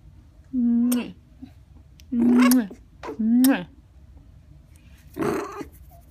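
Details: Red fox pouting: three drawn-out, nasal whining calls, each about half a second, held level and then rising sharply at the end, followed by a short breathy huff in a quiet room.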